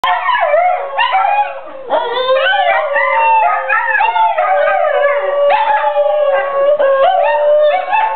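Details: Four dogs, two Basenjis, a Pug and a Saluki, howling together in a loud overlapping chorus of wavering, sliding tones, voices rising and falling and yipping over a steady sustained lower howl, with brief dips between breaths.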